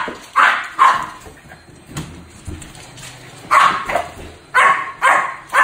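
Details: Doris, a Shih Tzu that loves balloons, gives sharp, high barks in quick bursts with pauses between.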